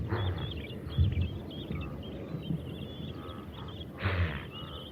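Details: Wildebeest in the wild in Africa: short, low, nasal grunting calls, one at the start, one near one second and a louder one after four seconds, with a steady hum and high chirping birds throughout.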